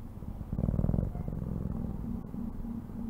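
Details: Domestic cat purring in a low, steady rumble with a pulsing texture, louder in the first second and then softer and even.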